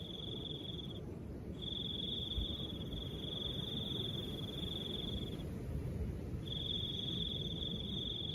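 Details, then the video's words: Soft wind with a cricket singing: a sustained high-pitched trill, one short burst then a long run of about four seconds, a pause, and a fresh trill at the end, wind rumbling throughout. "Crickets and the sound of soft wind"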